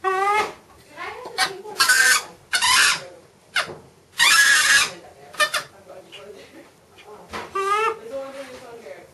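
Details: Macaque Miss Anna at Bear Creek Sanctuary, eager as her breakfast is made, gives quavering, harmonic warbles at the start and again near the end, mixed with harsh noisy bursts and clattering from the food preparation.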